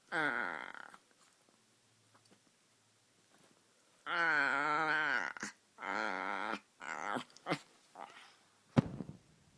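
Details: White Chihuahua puppy making funny sounds indoors: a short moaning grumble, a long quiet gap, then two longer wavering whine-growls and a few brief sharp noises, with faint voices between them.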